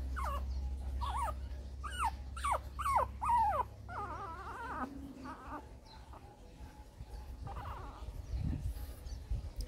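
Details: A litter of Shih Tzu puppies, with eyes beginning to open, whines in a quick run of sharp, falling squeals, several a second at first, then fainter wavering cries, over a low steady hum and a woman talking quietly.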